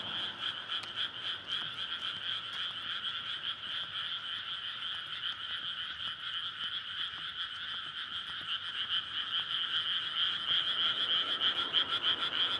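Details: Frog chorus recorded at night in May in a water-filled rice paddy, courtship calling; dense continuous croaking that swells in the final seconds with quick rattling pulses, recorded on a SONY PCM-D100.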